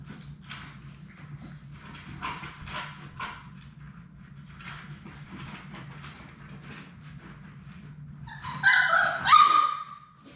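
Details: Six Labrador Retriever puppies from Sadie's litter playing together in a puppy play room. Soft scrabbling and muffled grunts give way to a loud cluster of high, sharp yips and a squealing whine near the end, over a low background hum.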